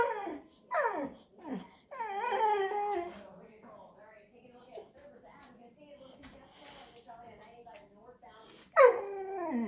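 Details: Indoor Boxer dog hesitant to reach a toy stuck under a shopping bag gives short sharply falling whimpers and yips, a cluster at the start and one loud cry near the end, with a person talking quietly in between.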